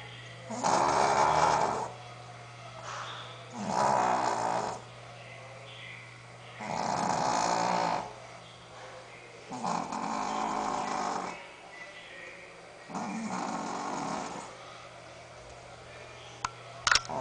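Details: Sophia, a pet Shih Tzu, asleep and snoring indoors: five long, rasping snores, each about a second and a half, coming roughly every three seconds with quiet pauses between, plus a faint steady hum and a brief click near the end.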